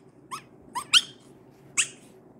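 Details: An adorable chihuahua puppy protesting being touched gives four short, high squeaky yelps, rising and bright, spaced unevenly across two seconds in a quiet small room.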